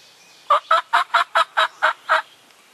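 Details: A red fox, one of a fox family in Maryland/Delaware, gives a quick run of eight harsh, hoarse yaps, evenly spaced and steady in pitch.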